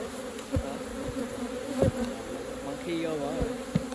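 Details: Buzzing of honey bees around a hive during raw honey collecting, a continuous low hum broken by several short thuds and handling knocks, with a brief voice-like warble late on.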